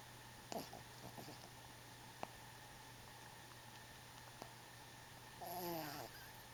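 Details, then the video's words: Sleeping twelve-week-old puppy Bentley, lying on his back and dreaming, makes a faint snort early on, a few soft clicks, then a louder drawn-out harmonic snore near the end above a constant low electrical hum. "Bentley Sleeping & Snoring"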